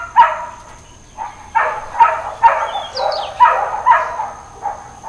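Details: Uncontrolled dog barking on Labor Day, September 2, 2024, in Hawaiian Paradise Park, Hawaii: short, hoarse barks come singly and in pairs with gaps. A brief high bird chirp sounds midway.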